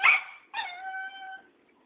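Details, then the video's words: Tara, a Cairn Terrier facing Thoman, an old tomcat, gives one sharp yip followed by a drawn-out, steady, tonal whine that fades away. "Tara the Cairn Terrier vs. Thoman old tomcat"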